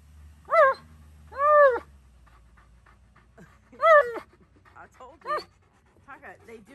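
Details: Tonka the Alaskan Malamute yelling demandingly: short arched whining yells scattered between quieter breathy and panting sounds, with a low background hum.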